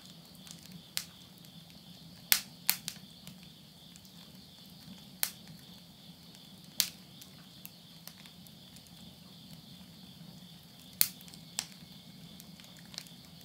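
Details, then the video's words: Insects at midnight at the end of summer, September 2020, in the countryside of Yurihama, Tottori, Japan. A steady, thin, high shrill chorus runs throughout, broken by sharp, irregular cracks and pops of wood burning in a house stove over a low hum. "mid night the voice of insects"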